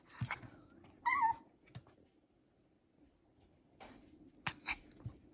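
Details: Pomeranian dog facing treats, letting out a brief wavering whine after a few soft thumps and clicks, followed by quiet shuffling and a couple more sharp taps.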